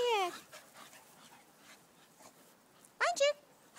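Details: Two short yelping whines from a Staffordshire Bull Terrier, one of several staffies, each sliding downward. The first opens the moment, the second comes about three seconds later, with quiet breathing between.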